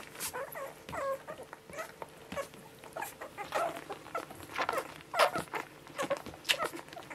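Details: One-week-old Border Collie puppies, a litter of seven from a mother named Honey, make faint scattered whines while feeding, mixed with rustling, patting and snuffling sounds of nursing pups.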